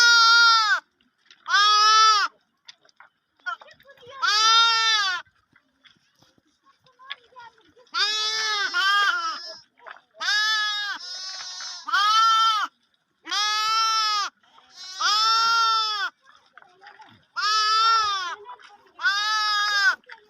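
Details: A lamb bleats repeatedly in high, quavering, nasal cries, each about a second long, as sheep and lambs meet and lambs drink milk, with bells heard.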